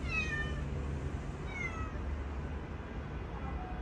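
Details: Adult male cat playing with his kitten indoors; two short, descending harmonic meows, one at the start and a second a moment later, over a steady low hum.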